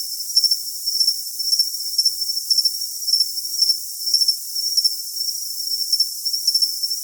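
A cricket gives high, thin pulsed chirps that repeat steadily, with short pauses between bursts.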